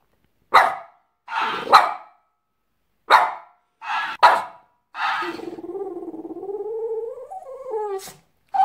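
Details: Pet French Bulldog Pepsi answers a talking hamster: a run of sharp barks, then a long drawn, wavering growling whine lasting over two seconds, ending in another bark.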